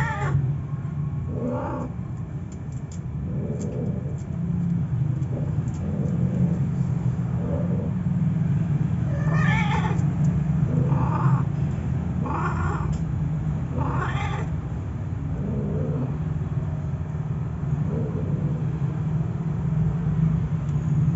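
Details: Siamese cat with a male puspin during mating: a string of moaning, harmonic yowls, some short and some long and rising, coming every one to two seconds over a continuous low hum.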